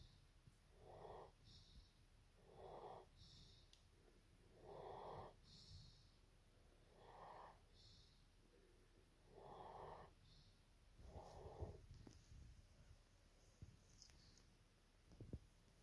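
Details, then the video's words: Evo, a German Shepherd, snores at nap time: about seven rasping breaths come roughly every two seconds, each a short hoarse burst, with softer irregular breathing and small clicks toward the end. "Nap Time - Evo the German Shepherd"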